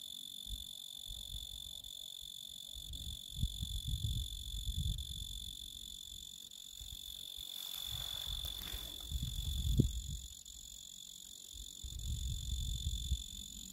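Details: Singing male Oecanthus tree cricket gives a continuous high-pitched trill that briefly thins out midway, accompanied throughout by intermittent low thuds and rumbling handling noise.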